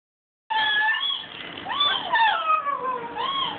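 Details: Pet dog howling indoors, recorded on a phone; after a short silence, one sustained wavering howl slides up and down in smooth arcs, rising then falling, with brief dips between drawn-out notes.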